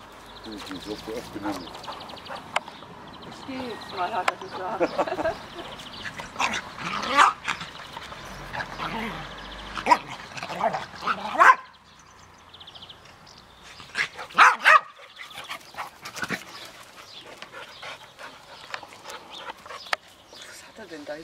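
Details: Max the Australian Terrier tussling in the garden with Münsterländer pal Wilson; scattered growls, yelps and scuffling bursts, a quiet pause midway, then more yips and thumps, with human voices mixed in.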